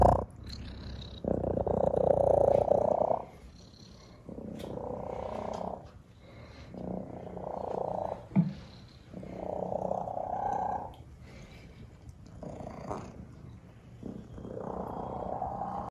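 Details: Male cat at an animal shelter with a remarkably loud purr, recorded during a photo session: deep throbbing purr in roughly two-second phases separated by quieter breaths, repeating steadily throughout.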